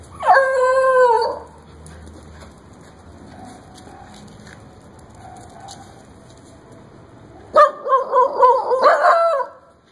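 A Basenji gives loud, wavering yodel-like calls, one near the start and another burst near the end.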